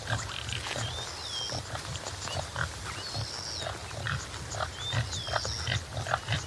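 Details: Topi antelope of subspecies Damaliscus lunatus jimela giving low, rough grunting pulses in a steady broken series, while high thin bird whistles with slurred downward notes sound about every two seconds over a faint hiss.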